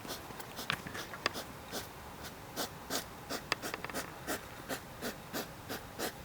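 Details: Hedgehog making a strange, mysterious cough or panting noise: short, sharp, breathy bursts repeated rapidly and somewhat irregularly, several each second, heard indoors.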